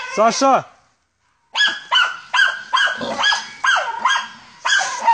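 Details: Deutscher Jagdterrier named Ata von Jagdwald on a wild boar hunt: after a brief harmonic whine, a run of six sharp, harsh barks about every half second, with a handler calling out in the background.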